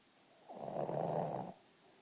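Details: A Boston Terrier, Ally, snores once, a rough, rattling breath lasting about a second, after a long day.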